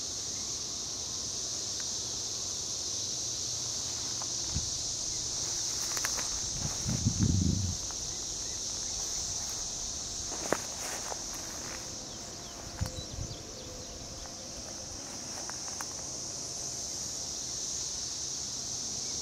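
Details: A steady, high, hissing drone of Brood XIX periodical cicadas in chorus, unbroken throughout, recorded at Frontenac, Kansas, on June 10, 2011.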